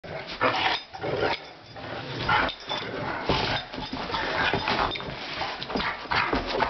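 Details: Two Rottweilers playing on New Year's Day trade rough, broken growls and grumbles with the odd short bark, with scuffling and panting between the bursts of voice.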